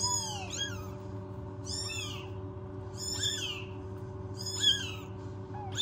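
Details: Newborn rescued kittens without their mother, kept in a warming box at home, give high, arching meows in short bursts every second or so over a steady low electrical hum.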